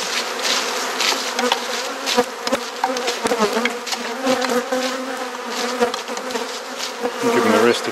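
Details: Dense honey bee drone from an inspected garden hive in Perth, Australia, a constant layered hum with frequent clicks and taps of frames being lifted and moved.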